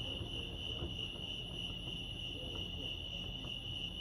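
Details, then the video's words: Lake Arrowhead crickets in California give an unbroken high, even trill, pulsing rapidly, with a quiet low rumble beneath. "Serenity sounds crickets chirping lake arrowhead"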